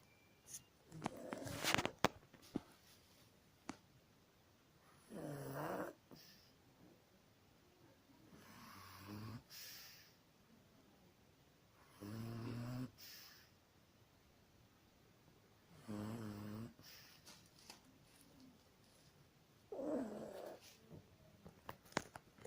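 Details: Pug snoring indoors: harsh, buzzy rasping snores in separate bursts roughly every three to four seconds, each a second or so long with layered low rumbling tones, plus a few sharp clicks and snorts early on.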